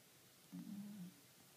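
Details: A single low, droning snore of more than half a second from Kuro, a cat asleep on 28 April 2013, with a steady hum against quiet room tone.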